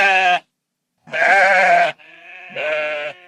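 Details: Sheep bleating: a short harmonic-rich bleat, a long wavering bleat after a pause, then a strained quavering bleat that runs into a final drawn-out one.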